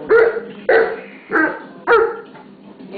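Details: Pit bull scolding a mastiff pup to make it behave: four loud, sharp barks roughly every half second, then a pause and a short yip-like rise, with quiet background noise.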